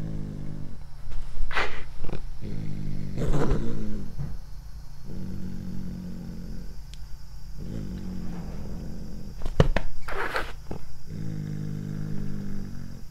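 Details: Domestic cat growling while eating corn for the first time indoors: low, rumbling harmonic growls in bouts of one to two seconds, repeated through the clip, broken by sharp crunching bites.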